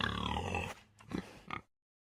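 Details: Common warthog, African, with a long rough low grunting squeal followed by two short grunts.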